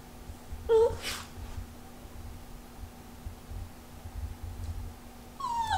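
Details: A Yorkshire Terrier wiggling its rear gives a brief high whimper, then later a thin whine that slides downward.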